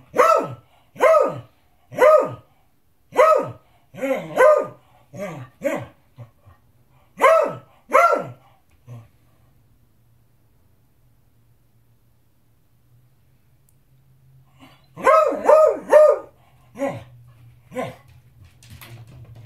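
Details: Demanding his dinner, a beagle lets out a volley of about nine sharp barks, falls quiet for several seconds with a low hum in the background, then resumes with a burst of quick barks.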